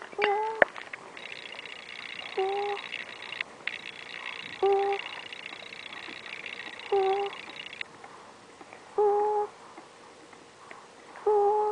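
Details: Ferret (Mustela furo), sleep breathing.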